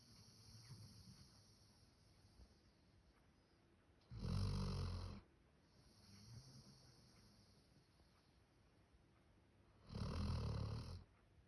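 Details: Male Labrador Retriever named Max, born 1 October 2019, snoring like a person: two loud, deep, rasping snores about six seconds apart, with softer low breathing rumbles in between.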